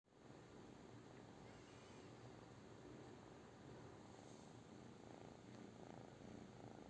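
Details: British Shorthair cat purring, a steady low rumbling drone with a fine, fast pulsing texture that holds evenly through the whole stretch, quiet and close with no other clear sounds.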